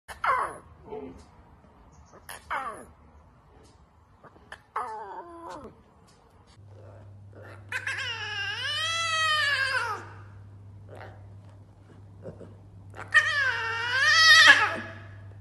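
A lion cub gives high, wavering, meow-like yowls as it tries to roar.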